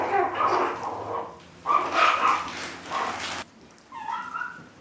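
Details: Chihuahua puppies in their puppy house on April 14, 2012, giving high, thin whining whimpers in short bursts separated by quiet pauses, ending with a brief, higher, wavering whine.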